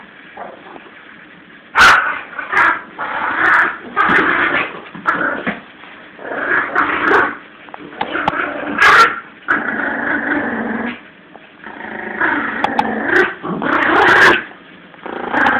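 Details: Lulu, a 17-week-old Yorkie puppy, playing tug of war with Jack Russell Eddie; noisy growls run in uneven bursts through the clip, broken by a few sharp higher bark-like yelps and clicks.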